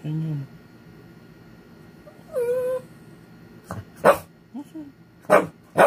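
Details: An angry Shih Tzu gives a short low growl, a rising whine and several sharp, snappy barks.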